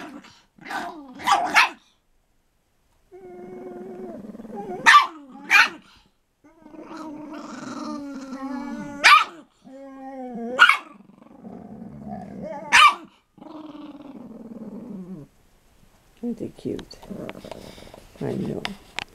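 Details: Two pet dogs, a 4 lb Chihuahua and an 80 lb Pit Bull, growling together while they play: rumbling and whining growls rising and falling in pitch, broken by sharp yelping barks, with pauses between bouts.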